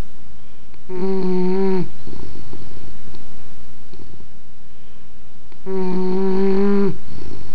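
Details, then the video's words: Indoor recording of a sleeping English bulldog: two steady, nasal, harmonic snores about five seconds apart, each near a second long, separated by soft breathy exhalations and faint room hum. "Snoring English Bulldog"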